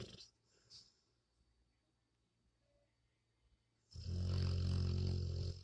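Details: Dog asleep indoors after a quiet stretch breaks into a loud, deep, rattling snore that is held for nearly two seconds.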